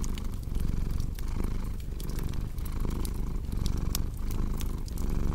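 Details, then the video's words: Cat's deep, buzzing purr rising and falling in roughly one-second breathing rhythm, mixed with frequent crisp fireplace crackles for a calming bedtime ambience. "Purring Cat with Cozy Crackling Fireplace Sound"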